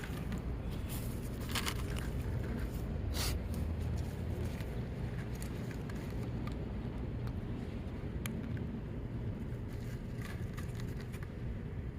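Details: Outdoor park ambience: a low, continuous rumble like distant traffic with scattered scrapes and clicks, and no animal voices.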